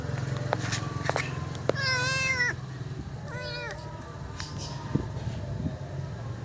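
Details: Stray kitten left alone by its mother, uttering two wavering meows, the first longer and louder, over a steady low rumble and scattered clicks and knocks of an outdoor setting.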